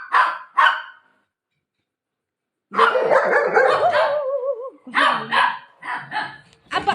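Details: Buzo, a playful golden retriever, barks at its owner while running off with a pillow. Two sharp barks open, then a pause, followed by a dense run of quick barks mixed with a whining tone and a woman's Marathi speech.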